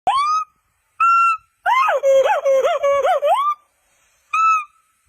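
A monkey calls in pure, whistle-like tones, each opening note sweeping upward and holding. In the middle comes a longer warbling sequence that dips and rises repeatedly before ending on another rising whistle.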